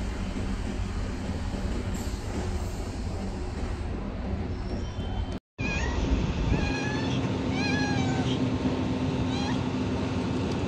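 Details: Homeless street cat, hungry at feeding time: after a stretch of road noise, a string of short wavering meows repeats rapidly for several seconds against a loud rumbling background.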